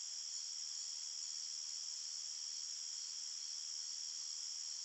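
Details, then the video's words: Crickets at night in the forest give a constant bright, high-pitched trilling hum, steady in loudness, with rapid pulses merging into one band. "Crickets Chirping Sounds"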